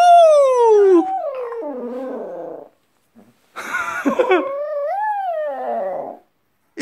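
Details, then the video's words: Pet dog giving a wolf-like howl: a loud, clear tone sliding down from high to low, wavering into lower notes. After a short pause a second wavering, undulating howl follows, ending abruptly. "늑대 울음소리"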